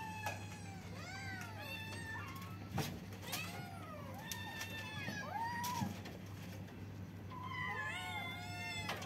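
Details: A group of kittens calling together: many short, arched, harmonic meows overlap and tumble over one another, a few sharper squeaks among them, over a constant low electrical hum and faint clicks.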